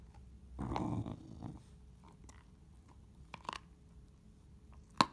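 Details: Chow Chow growling indoors in a small room, a low rumbling growl lasting about one second near the start, followed by scattered clicks, taps and a sharp knock at the end.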